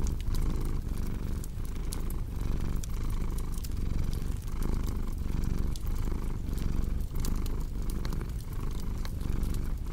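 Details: Low vibrating purr of a cat, breath-paced swells repeating roughly once a second, mixed with the constant crackle and occasional loud pop of burning wood.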